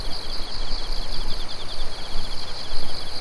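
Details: Insects calling on a moonlit autumn night, 16 September 2021, Japan; overlapping high pulsed chirps and a continuous shrill trill, rhythmic beats about every quarter second, with low background rumble.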